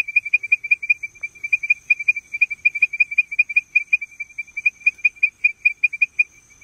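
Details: Leptodactylus mystacinus calling to advertise, repeating short piercing whistle notes at a single high pitch in quick succession, some notes doubled, with a clean, silent background.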